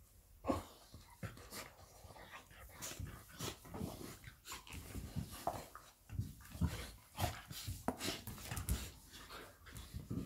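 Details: Labrador Retriever Lilly and her puppy Molly at play indoors. Quick panting breaths and short low growls come in a steady, busy stream, punctuated by sharp scratchy clicks and knocks throughout.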